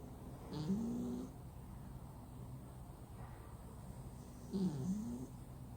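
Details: Sleeping flat-nosed cat snoring loudly indoors: two low, wheezy, whining snores roughly four seconds apart, each a brief bending tone, separated by quiet breathing and a faint background hum.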